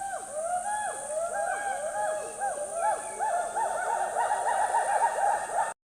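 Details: Several hoolock gibbons call together in a rainforest, a loud chorus of overlapping, arching whoops rising and falling quickly, with a constant high insect drone throughout.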